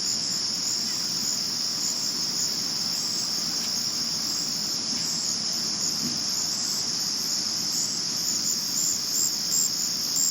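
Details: Male crickets keep up a steady, shrill, high-pitched trilling that never breaks, recorded at night in 2022.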